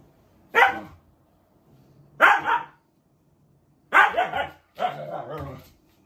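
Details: Talkative Siberian husky kept as a pet in Japan, living with other dogs, giving four loud, harmonic yowling vocalisations spaced roughly every one to two seconds, the last two drawn out with wavering, talk-like pitch in a quiet indoor room.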